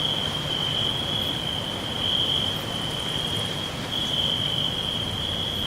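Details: Forest crickets chirping in a dense chorus, an unbroken high-pitched trill that swells slightly in places, with a constant low rushing noise underneath.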